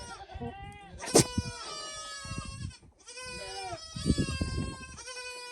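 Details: A male Nigerian Dwarf goat, escaped from his pasture after scenting a female in heat, gives wavering, nasal bleats and blubbering grunts as he flirts with the females.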